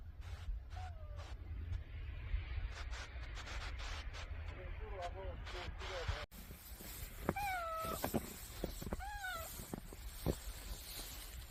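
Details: A cat in winter near a wood fire meows repeatedly: a soft falling meow early on, a run of tiny chirping calls midway, then two louder, clear drawn-out meows with rising-then-falling tone, over crackling firewood and low rumble.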